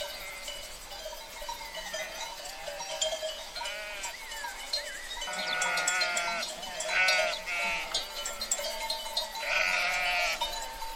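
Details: Herd of sheep calling in a loose chorus: quavering bleats of varied pitch, a few long and tremulous, overlapping irregularly above constant clinking, bell-like tones and a dense hiss.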